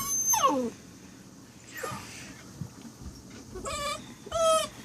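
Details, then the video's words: Saint Dane puppy Faith making strange sounds, quieter here: quick descending squeaky whines separated by pauses, then two short harmonic yelping whines near the end, with faint background rustle. "Faith makes strange sounds"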